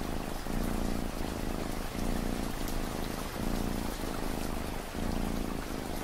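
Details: Cat purr in long low pulses, each inhale-exhale cycle lasting about a second and a half, layered over heavy, even rain noise with scattered raindrop taps.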